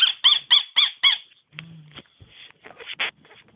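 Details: Nemo, a dog that squeaks instead of barking, gives five quick high squeaky yelps about a quarter second apart, then after a pause a few softer scattered squeaks and small noises.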